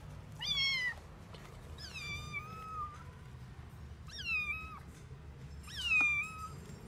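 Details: A rescued stray kitten, roughly 45 days old, unable to walk yet and with sore eyes, calls with four plaintive meows spaced about every one and a half seconds, each starting high and sliding down into a long steady tone.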